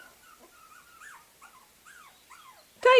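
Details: A few soft, high puppy whines rise and fall in short arcs before a loud human voice breaks in at the end.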